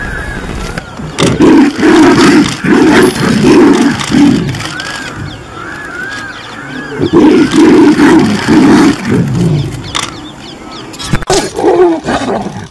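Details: Tiger in India roaring in heavy, deep bursts, each lasting about a second and grouped in runs around two and eight seconds, with a few higher sliding tones above and breaks of quieter rumbling between.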